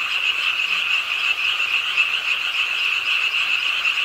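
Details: A pondside frog chorus in Suwon's Ingye Art Park, where the frogs began croaking with the rain late at night: an even, high-pitched rattling drone with soft rain hiss.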